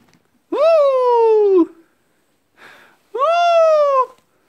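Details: Pet dog howling indoors in two long, clear, slightly falling tones about a second each, separated by a pause with a brief soft sound.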